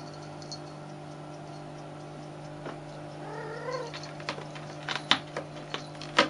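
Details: Kitten wrestling a toy monkey; one short wavering meow-like cry midway, followed by scattered thumps and scuffling knocks over a steady background hum.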